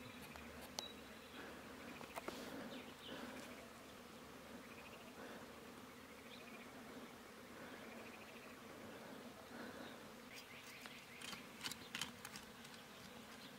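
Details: A continuous, soft buzzing hum comes from wild honey bees as their hive is taken from a mountain bush in rural Iran. Scattered sharp clicks and handling noises run throughout.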